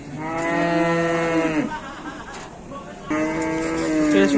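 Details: Young calf on an Indonesian farm, described as running wild and charging, gives two long harmonic moos, the first about one and a half seconds, the second starting after a short pause, with faint background noise.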